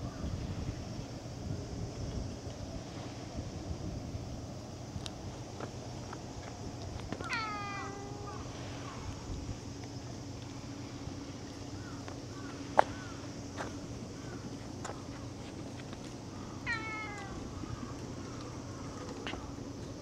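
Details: A cat meows twice, about nine seconds apart, each call drawn out and wavering, against a constant low droning hum with an occasional sharp click.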